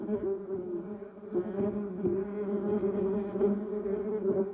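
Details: Low, harmonic-rich humming of bumblebees moving among yellow cassia and Duranta erecta flowers, fairly even in volume, with small wavers in pitch and short ticking sounds scattered through.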